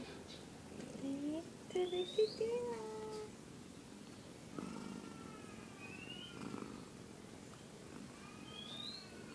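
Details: Three kittens with their mother cat indoors: a run of short, high, tonal mews, some rising and some level, overlapping in quick succession during the first few seconds, then fainter thin calls over a soft low rumble.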